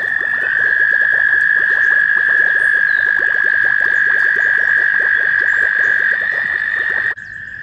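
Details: American toads calling at a shallow pond near Warbler Bridge, Wehr Nature Center, on a warm May day in mating season. Loud, unbroken high trills overlap and hold steady for about seven seconds before abruptly dropping to a quieter trill.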